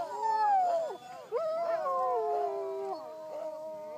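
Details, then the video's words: Huskies howl in La Plagne: a falling wail breaks off, then resumes as layered, wavering howls from several dogs, sliding gently downward and holding steady. "Huskys howling"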